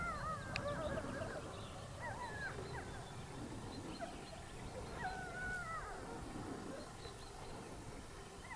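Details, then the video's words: Pack of wolves in Haute-Savoie, France, giving a group chorus: tangled, quavering howls rising and falling together with interspersed yaps, heard from some distance above low rumbling background noise. "Hurlements de loups en Haute Savoie"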